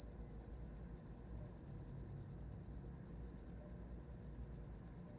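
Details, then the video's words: Short stretch of cricket song for sleep: piercing high chirps pulsing steadily, about three per second, with no other sounds standing out. "Som de grilo para dormir"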